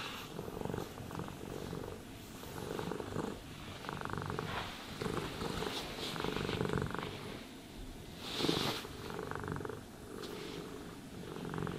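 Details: Domestic cat purring while being brushed and groomed, a steady low rumbling purr in rhythmic breaths with soft brushing strokes and rustling over it, no talking.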